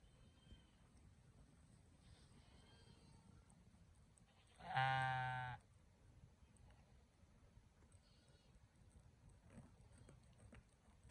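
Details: Sheep, ewe and lamb: a single loud bleat of about one second, harmonic and slightly wavering, stands out midway through a quiet, faintly hissing background, with soft distant bleats earlier.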